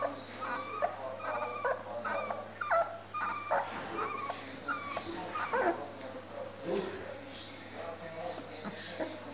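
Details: Siberian Husky puppies at a kennel near Moscow give a quick series of high, harmonic yelps and whines, about two each second for the first four seconds. Softer scattered whimpers follow over low background noise.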